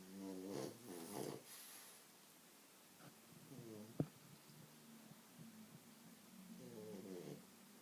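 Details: A French Bulldog sleeping on its owner's legs snores in rough, rattling bursts, each breath a harsh, buzzy rasp.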